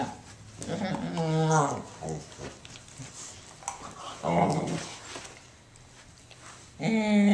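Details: Pet dog indoors making odd noises: a few drawn-out, whiny, harmonic vocal bursts with wavering pitch, about a second each, separated by quiet pauses in a small room.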